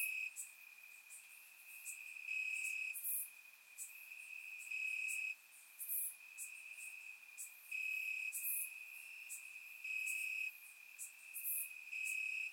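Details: Crickets chirping in grass on a warm summer night in Bulgaria, recorded with a surround microphone: a steady high trill with louder stretches swelling about every two and a half seconds, plus brief sharp high ticks from other insects.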